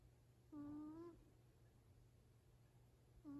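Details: Yaju, a sleeping Exotic Shorthair cat aged 7 years 4 months, gives a 'poo-poo' snore: two steady, slightly rising nasal tones, each about half a second long and roughly three seconds apart, in a quiet indoor room.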